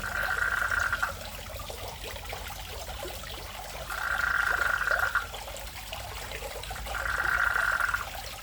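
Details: Frogs at a home fish pond, sounding like rural rice fields: three even, buzzy trills of about a second each, repeated roughly every three seconds, with running water in the background.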